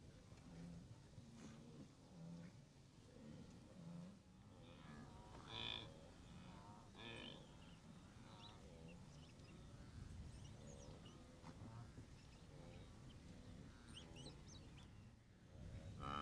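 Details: Blue wildebeest herd at the Moru Kopjes in the western Serengeti, seen on 7 April 2012 during the Great Migration, with wildebeest stretching as far as the eye can see; many overlapping nasal grunting calls over a dense low rumble.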